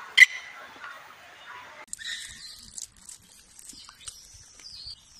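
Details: Baby macaque abandoned by its mother, lying on the ground and crying: a sharp burst followed by thin, very high wailing cries that waver and slide downward in pitch, separated by brief quiet gaps.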